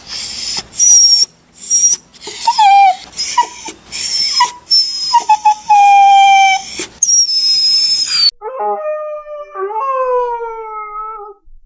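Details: Puppy crying with a jumble of high squeaks and whimpers, then sustained whines and, near the end, a lower, longer, steady howl-like cry.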